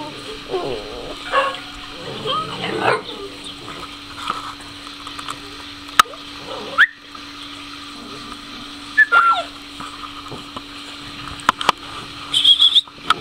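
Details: Two-month-old mastiff puppies in Chillán, Chile, giving scattered high whimpers and short yelps, with thin whistled squeaks near nine seconds and late on, a steady low hum throughout and a person speaking over them.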